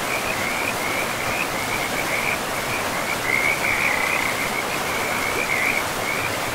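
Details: Chorus of frogs beside a forest river: dense trilling notes held at one high pitch, swelling in brief louder bursts, laid over constant broadband water noise from the flowing river.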